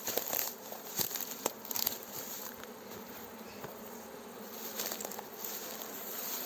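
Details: A fresh swarm of honey bees being guided into a hive by a beekeeper makes a steady, dense hum, with dry branches crackling underfoot and a distant village call to prayer.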